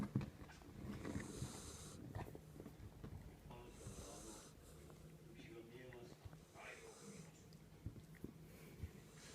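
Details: Sleeping Jack Russell Terrier Kinako snores in steady cycles, a soft airy hiss on each breath roughly every three seconds, with low rumbling snorts in between, indoors.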